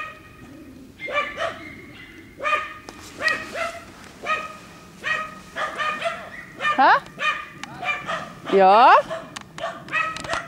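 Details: Dogs working wild boar in a boar training pen bark in irregular bursts, joined near the end by two high, wavering, squeal-like sweeps.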